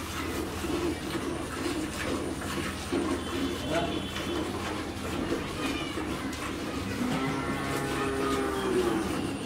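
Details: Friesian cow that has calved for the first time, with a heifer calf and giving 15 to 16 litres of milk, at a dairy farm in Pabna, Bangladesh; a low drawn-out moo late in the clip, under steady background noise and human speech.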